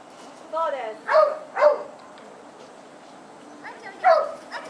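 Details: A sheepdog working on 11 October 2010 to move sheep out of a corner they got stuck in. It gives a pair of high, yelping barks, a pause, then another yelp, over a faint hissing background.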